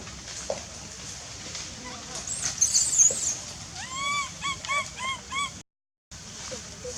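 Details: Wild baby monkey in forest near Angkor Park, crying loudly to call its mother while hungry: a run of about six short, arched, whistled cries between four and five and a half seconds over a steady high hiss.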